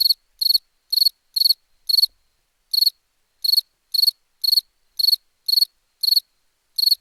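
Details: A cricket sings steady rounds of sharp, high chirps, each a tight cluster of rapid pulses, coming about twice a second with one brief gap, clean background.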